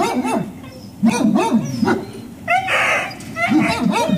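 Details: Service dog puppies of the Service Dog Project in Ipswich, Massachusetts, USA, waiting at breakfast time on October 14, 2017: high whiny yips with rising-falling arcs come in quick bursts, with a brief noisy clatter midway.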